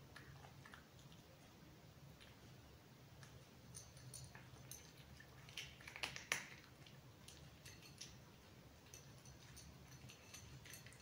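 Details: Indoor cat munching crunchy food up close: a steady run of quick, dry crunching clicks, roughly three or four per second, growing louder and denser midway before settling back to softer chewing.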